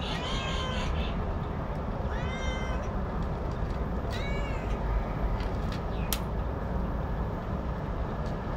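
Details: Pet cat, said to like eating alone, meowing three times in the first half: a faint opening mew, then two rising-and-falling harmonic meows about two seconds apart. A sharp click follows, and a dense low drone runs throughout.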